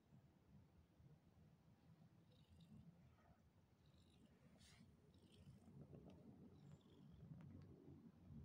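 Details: Continuous deep purring from pet cats Pantera and Naya as they perform before a meal, a dense low vibration that swells louder toward the end, with faint light taps above it.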